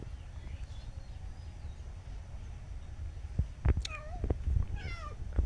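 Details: A new cat being tamed in a village, still asking for more food after being fed: two clear, drawn-out, falling meows about a second apart in the second half, over steady low-pitched background rumble.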